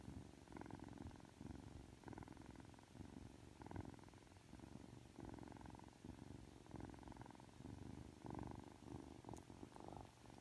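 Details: Aki, a Ragdoll kitten of three months, gives a rhythmic rumbling purr while being sweet after just waking, each breath making a burst with short pauses, in a quiet indoor space.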